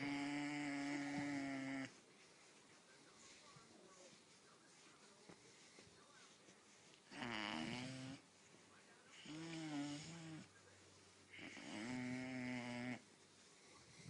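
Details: Harley, a Great Dane puppy, making hilarious noises while his big achy joints are massaged: four drawn-out, moaning groans about one to two seconds each, some wavering and bending in pitch, separated by quiet pauses indoors.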